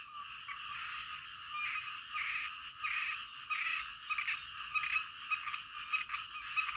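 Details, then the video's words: Frogs croaking at night, overlapping pulsed calls in uneven bursts, some sharper individual notes standing out from a constant chorus, with a faint low rumble beneath. "SUARA KODOK DITENGAH MALAM"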